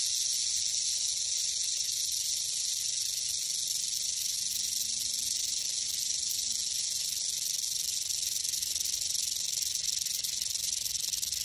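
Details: Rattling western diamondback rattlesnake, spring 2021: an unbroken, sizzling high buzz that runs at an even loudness throughout, with a faint low rising-and-falling hum passing in the background midway.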